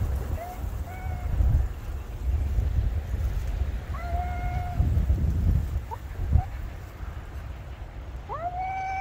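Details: Conversation between a black cat and a white cat, December 2022, the white cat unsettled by the black cat's strong voice: scattered short meows and a longer rising meow near the end, over wind-like low rumble.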